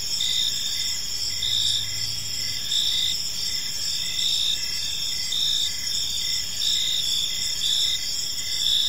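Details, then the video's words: Park crickets at evening keep up a steady high-pitched chirping chorus, stacked trills with brief repeated pulses, plus a faint low hum near the start. "Park Serenade: Cricket Sounds in a Peaceful Park"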